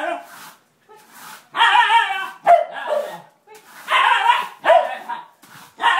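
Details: A Siberian Husky meets a broom for the first time and reacts with harsh, grumbling barks and yips in two main bursts, with softer vocal mutters between them.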